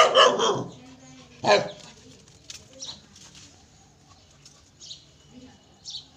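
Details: Pet dog giving two loud, harsh barks about a second apart at the start, followed by several softer, scattered sounds and a quiet background.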